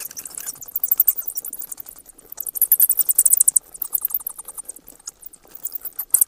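A bat gives rapid, very high-pitched chittering clicks in bursts of a second or two.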